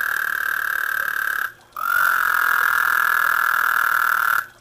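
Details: Croaking frogs in a garden pond, 2010: a steady, even mid-pitched trill runs about one and a half seconds, breaks briefly, then resumes as a longer sustained trill of nearly two and a half seconds before stopping.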